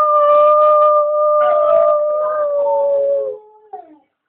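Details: A female dog howling when greeted at the top of the stairs gives one long sustained tonal howl, steady then sliding down at the end, followed by a short faint yelp.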